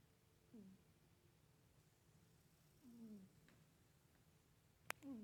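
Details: Domestic cat asleep, humming in its sleep: short tonal hums that slide downward, three in quick succession, with a sharp click between the last two and a low room drone.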